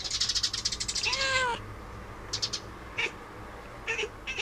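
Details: Domestic cat talking at birds: a quick train of clicky, stuttering chatter leads into one clear, tonal meow that rises and falls, followed by a few short, sharp chirps over low background hum.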